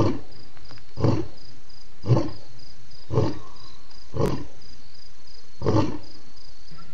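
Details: Lion called BB roaring loudly at Djuma waterhole on October 28, 2016: deep, breathy grunts pulse about once a second, low and booming. A steady high insect trill runs underneath throughout.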